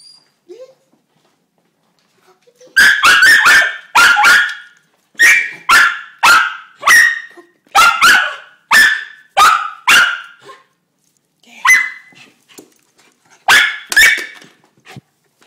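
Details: Female dog barking excitedly, as she does every day on learning she is going out to pee: rapid bursts of sharp barks, some paired, roughly every half second, with brief pauses and a whining note.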